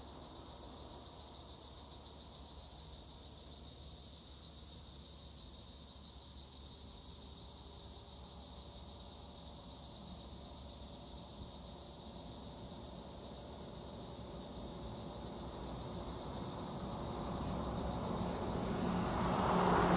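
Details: Olive trees at Güre in Edremit, Turkey, ringing with a dense chorus of Acheta assimilis tree crickets: a sustained shrill high buzz, joined near the end by a growing rush of broadband noise.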